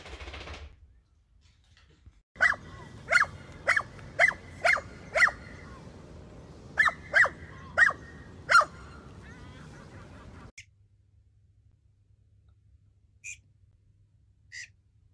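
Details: Dachshund, a playful pet wiener dog, barking in sharp, high yaps: a run of six quick barks about half a second apart, a short pause, then four more, followed by quiet with two faint distant yips.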